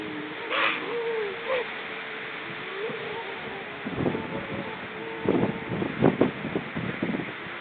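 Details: Seal calls recorded October 29 2014: a short bright upper note and a curving mid-pitched whistle, then a run of low knocking pulses growing busier toward the end, over a steady hissing background.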